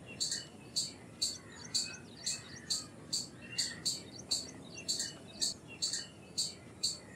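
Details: Steady repeated chips from an Indian palm squirrel, high and abrupt, about two each second, with faint chirps between them against a soft hiss.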